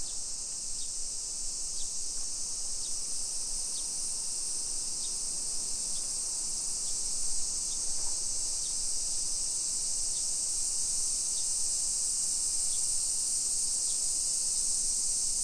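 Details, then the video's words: Summer cicada chorus along suburban streets of Nisshin near Nagoya, Japan, 1 PM, 28 July 2021: continuous bright, hissing drone, with short sharp pips repeating roughly every 0.7 seconds. "Summer Cicadas Sounds"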